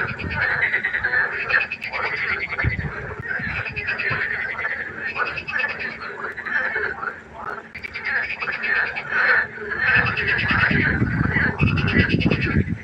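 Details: Dense frog chorus by a pond after dark, with rasping croaks overlapping almost continuously with hardly any pause, and low rumbling noise building in the final seconds.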